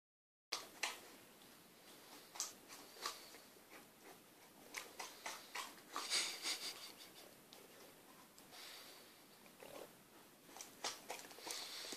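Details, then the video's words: A six-month-old female Akita puppy chews sticky chocolate-eclair toffee. Wet smacking clicks and snuffling bursts come in irregular rapid runs, with sniffs and short pauses between the flurries. "Dog trying to chew sticky toffee"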